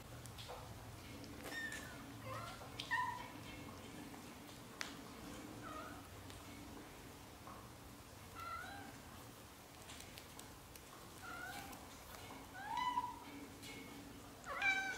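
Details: Young British Shorthair kittens, black golden and blue golden, from a litter of four with their mother, during their first 30 days. Repeated high, thin mews, each bending up then down, come in scattered bursts from several kittens over soft room noise.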